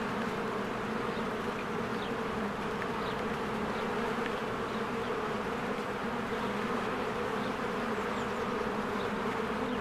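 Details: Honeybee hive in springtime, bees streaming in and out of the entrance; a steady, dense buzzing drone fills everything, with a few faint, thin bird chirps high above it.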